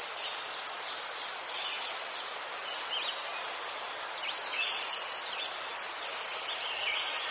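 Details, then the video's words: Ukrainian crickets chirping near chrysanthemums form a continuous shrill, pulsing trill that holds even throughout, overlaid with occasional softer, lower chirps in the background. "Заспокійливий звук цвіркунів//The soothing sound of crickets"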